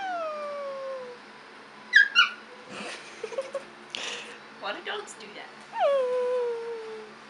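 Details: Two-month-old Chihuahua puppy with long, sliding whines that drop in pitch at the start and end, plus brief yelps; a person talks and handling noises are heard in between.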